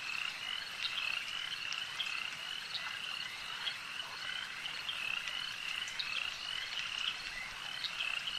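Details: At a lake, frogs call together in a thick chorus of rapid, high rasping croaks, some sharper calls popping out above the continuous background.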